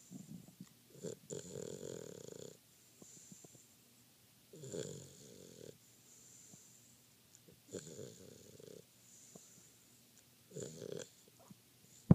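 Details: Dogo Argentino pup fast asleep and snoring: low, rumbling rasps lasting one to two seconds, coming about every three seconds with quiet pauses between, ending in a sharp click.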